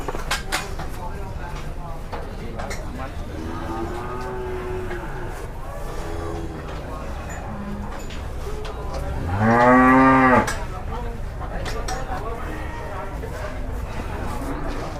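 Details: Raging cattle in Indonesia, leaping and landing as onlookers clap and exclaim: soft moos early on, then one loud, deep, drawn-out bellow near the middle, with constant background noise and distant voices.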